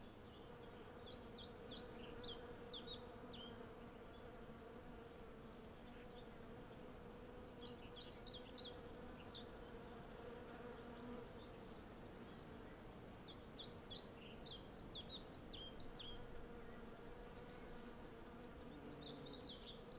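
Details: Hundreds of western honey bees collecting honey from a blossoming cherry tree produce an even, full buzzing drone, while birds sing in recurring bursts of rapid high notes throughout.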